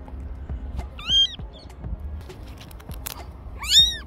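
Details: Orphaned kitten crying for help: two high, arched meows about two and a half seconds apart, with clicks and light handling noise and faint music.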